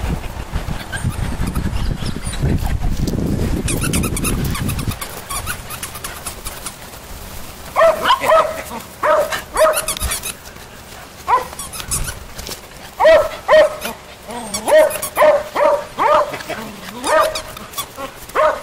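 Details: Standard poodle puppies at play, including the cream poodle Grant: after several seconds of low rumbling handling noise, short high yips with bright overtones come in uneven bursts, roughly two per second, with louder peaks toward the end.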